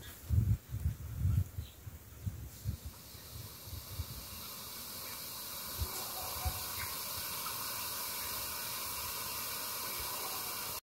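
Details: Cranky boa constrictor in the Belize jungle: a few low handling thumps open, then a long, steady, breathy hiss spreads across the sound range and holds to the end.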